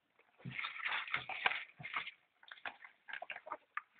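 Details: Polecat and ferret kits at feeding time, making dense chattering squeaks and whimpers, a continuous busy run for over a second, then scattered sharp chirps after a short pause.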